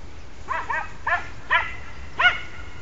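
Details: Podengo Português hunting dog in training for wild rabbit hunting gives five sharp, high yelping barks in quick bursts over three seconds, some doubled, over a low steady rumble of background noise.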